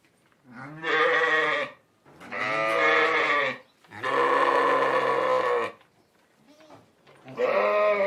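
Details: Sheep giving drawn-out bleats, three loud ones in close succession, the third lasting nearly two seconds, then a faint short bleat and the start of another; the bleats are wavering and nasal.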